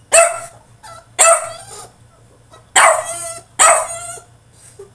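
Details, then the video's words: Caged male French Bulldog in a tantrum, letting out four loud, harsh barks in two pairs, each bark ringing briefly, with a soft whine between them. "FRENCH BULLDOG THROWS TANTRUM IN HIS CAGE!!"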